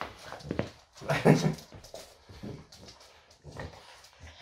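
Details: French Bulldog Loki indoors on a typical morning: a short, low grumbling whimper with a strong burst just after one second. Quieter snuffles follow in a small room, with faint household noise.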